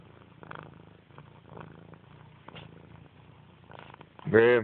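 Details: Purring from Grey, a domestic cat, comes in rhythmic low pulses broken into short bursts, ending with a person's loud voice at the close.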